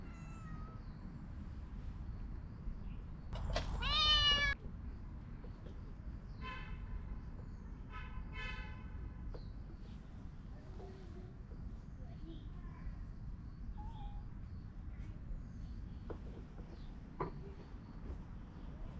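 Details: Among stray cats, an orange cat is petted as three more cats approach and stare; one loud, wavering meow near the start, then a few short, softer mews, with constant low background rumble.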